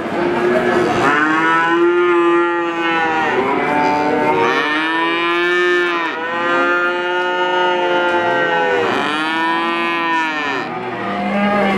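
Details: Calf giving a series of drawn-out moos, about four arched, harmonic calls each lasting two to three seconds, rising and falling in pitch, with a short low call at the end.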